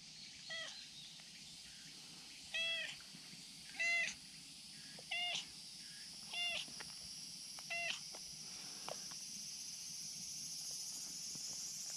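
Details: Affectionate tabby-and-white stray cat demanding cuddles from a precarious hillside spot; a run of six short, bent harmonic meows about every 1.3 seconds, then quiet, against constant high-pitched outdoor buzzing.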